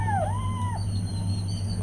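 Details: Cat with newborn kittens: a meow that slides down, then rises into a level tone before dropping off. Faint thin high squeaks follow over a steady low droning background.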